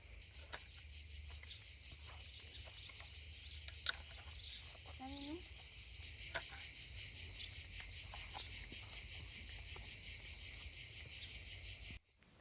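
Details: Cicadas out during a heatwave in the south of France, a high steady buzzing drone pulsing rapidly and swelling louder partway through, with a short whistled call and light clattering sounds in the background.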